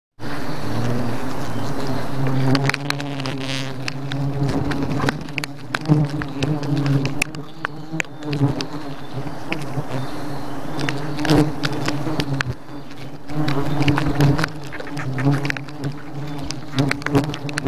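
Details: Thousands of bees in an attacking swarm; a dense, loud, continuous low droning hum with layered overtones, broken by sharp clicks and knocks and brief louder surges.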